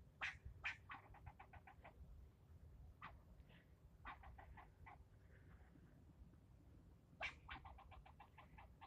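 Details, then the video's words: Squirrel yelling at a person for nearly ten minutes straight: bursts of sharp, broadband chattering clicks that start loud and trail off into quicker, softer ticks, repeated in three volleys over low background rumble. "Getting yelled at by a squirrel"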